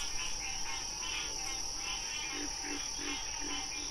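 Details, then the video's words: Frog croaking in short, hoarse pulses repeated roughly every third of a second, set against a continuous high-pitched drone and a softer rhythmic chirping layer. "Frog Sounds"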